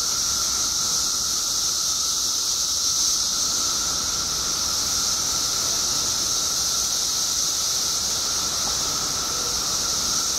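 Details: Periodical cicadas by the billions in Illinois, emerging after 17 years underground, fill the air with a steady, unbroken droning chorus: a bright hissing band high up and a lower humming whine, never pausing.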